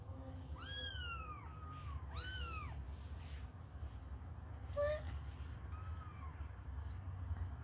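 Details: Young kittens, hungry and suckling a finger, make a few arched, high-pitched mews, two close together at the start and fainter ones later. A steady low background rumble runs throughout.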